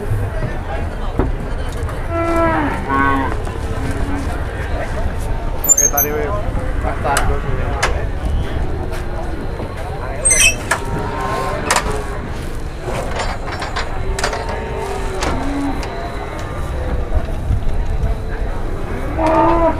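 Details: Cattle in Indonesia being moved on and off trucks, 2021: several low, drawn-out moos rise above a steady rumble of engines, with human voices, shouts and clatter throughout.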